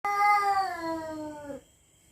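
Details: Territorial domestic cat at night, threatening a rival: one long, drawn-out yowl of about a second and a half. It starts strong and slides steadily lower in pitch before cutting off, with quiet room tone afterwards.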